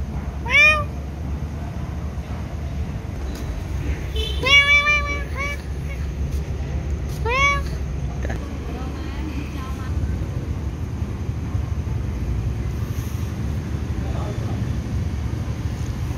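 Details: A cat meows during feeding with kittens nearby: three short, tonal meows in quick succession within the first eight seconds, with a person speaking softly and a constant low background hum.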